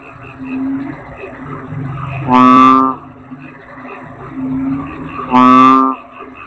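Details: Toad (kodok bangkong) giving two loud, nasal, harmonic blaring calls, each about half a second long and roughly three seconds apart, over softer low croaking and a steady background hum.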